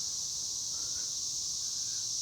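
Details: Many cicadas swarming near a bean and maize patch, producing a dense, continuous high buzzing hiss that holds steady for the whole short stretch.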